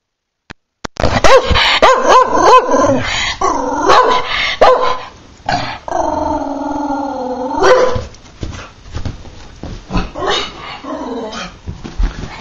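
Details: Patterdale Terrier barking at the postman, a fast run of sharp high barks and yelps, some drawn into long whining howls with stacked harmonics, then rough barks and growls toward the end.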